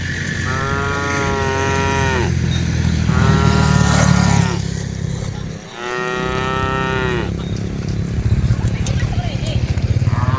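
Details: Cattle among dozens being herded, three long harmonic moos, each rising then falling at the end, spaced about two seconds apart over a steady low rumble, with faint voices in the background.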